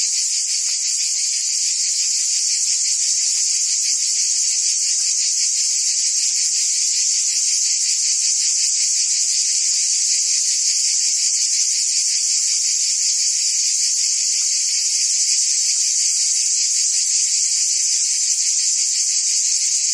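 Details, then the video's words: Forest cicada chorus in the treetops: an even, piercing high drone that never pauses, finely pulsed at a quick rate, steady in loudness from start to finish. "Ambient Cicada Sounds"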